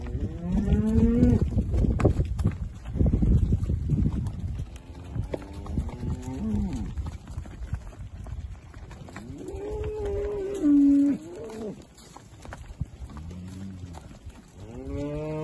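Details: Holstein Friesian dairy cows in the UK, part of a herd being dispersed, calved in spring and summer; several drawn-out, deep moos, some rising then falling, with pauses and clattering barn noise between them.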